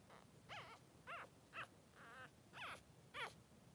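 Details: Two male Blenheim Cavalier King Charles Spaniel pups, three days old, in a whelping pen with mother Pom-Pom. Short high whimpers, each with a wavering falling pitch, repeat roughly every half second.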